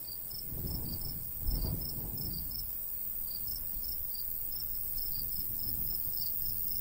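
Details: Crickets of the summer countryside beside a golden wheat field, rhythmic high chirps repeating steadily, with a light breeze rushing low and a brief thump near the start.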